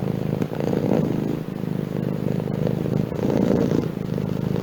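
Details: Close domestic cat purr, a low continuous rumble that swells and fades with each breath in a slow cycle, steady and unbroken.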